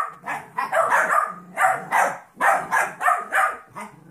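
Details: Trouble, a 14-week-old golden retriever mix puppy, roughhousing with Monkey, a 2.5-year-old jack russell/rat terrier mix. Harsh growly barks come in quick succession, roughly two or three per second, for about four seconds.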